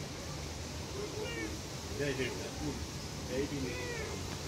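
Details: Hungry stray street cats run after a person, wanting to eat. Several meows with stacked harmonics, bending up and down, come in about three bursts over four seconds above a steady outdoor street background hum.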